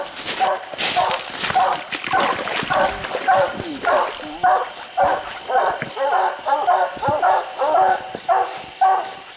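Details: Treeing dogs bay at a raccoon high on a slick hillside, a run of ringing barks about twice a second, several dogs overlapping, with footsteps and brush crackle.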